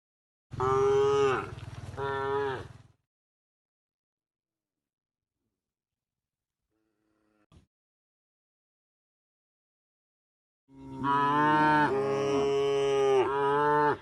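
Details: Herded cows heading for the livestock pen at a field beside the forest give a pair of sustained moos, then after a long quiet stretch a longer, louder bellowing moo.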